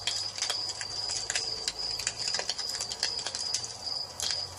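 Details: Crickets heard in the evening next to a fireplace: a sustained high, even-pitched trill, partly masked by dense crackling and popping of the fire and a soft low rumble.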